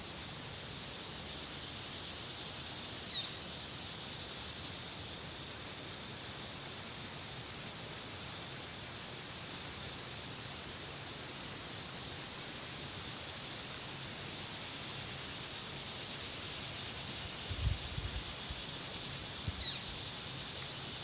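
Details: Country pond insects in full chorus: a continuous hissing, ringing high drone with a thin steady tone and periodic swells of pulsed trilling, plus a few brief low thumps late on.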